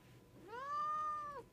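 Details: A pet domestic cat indoors gives a single long meow, sliding upward at the start, holding a steady tone for almost a second, then dropping briefly as it ends.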